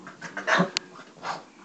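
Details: A female Boston Terrier that hates the vacuum cleaner gives a short, rough bark at it, with breathy huffs on either side.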